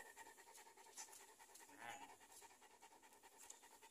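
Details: Rapid rhythmic panting from a Cane Corso. Quick airy breaths run continuously, with a slightly louder, throatier breath near the middle.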